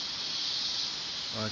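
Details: Cicadas in the mountains among coffee plantations: a dense, steady high-pitched buzzing chorus without breaks, with a man's voice starting briefly at the very end.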